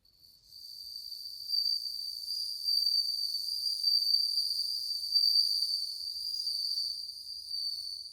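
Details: Numerous bell crickets singing in August 2020: a steady, high, bell-like ringing trill with bright overtones, continuous throughout and swelling and ebbing slightly in loudness, with no other sounds.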